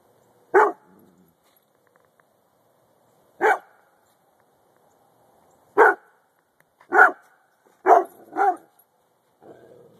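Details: A dog named Luigi barking indoors: sharp single barks spaced a few seconds apart, then a quicker run of three barks near the end, with quiet pauses between.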